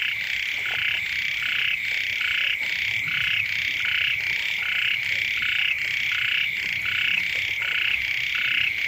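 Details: Chorus of frogs near a home at the start of the rainy season: rhythmic, rasping croaks pulse roughly every three-quarters of a second without pause, layered voices overlapping into a continuous throbbing din.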